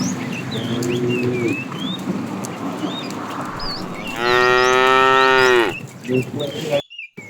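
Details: Afternoon herding of tame cows; a fat cow calls the female with a quiet short low moo early on, then a loud sustained moo of about a second and a half, as small birds chirp around.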